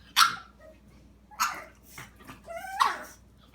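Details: Chili, a dog confronting the cat Peeps, lets out three separate yelping barks, the last one sliding up into a whine-like tone, over a low background hum.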